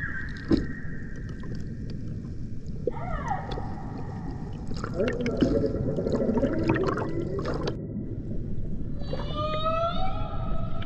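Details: Humpback whale, Banco de la Plata sanctuary, Dominican Republic, 2024 expedition: a level tone opens, a short downswept cry follows, a noisy grinding stretch, then a cluster of quick upswept harmonic chirps near the end, under constant rumbling water.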